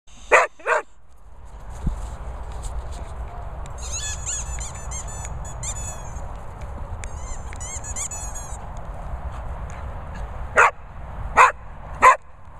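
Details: English Springer Spaniel barking outdoors in countryside, a pair of sharp barks at the start and three more near the end, with a steady background hum and a burst of high chirping in between.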